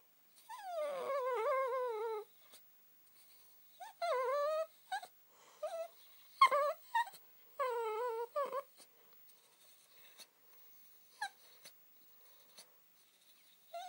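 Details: Josie the Spitz sings her moaning 'song': high, quavering whines that wobble up and down in pitch, delivered in several phrases of one to two seconds, with soft snuffles and small clicks in the quiet gaps.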